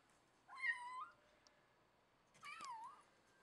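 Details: Persian cat indoors giving two clear meows, the first a wavering tone that dips and rises, the second a bent, falling-then-rising cry after a short pause; a faint click between them and otherwise quiet background.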